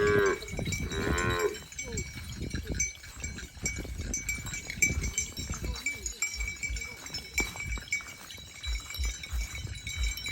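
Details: Cow grazing in the countryside during the rainy season: a short harmonic moo near the start, then chewing, rustling and a steady high ringing tone through the rest.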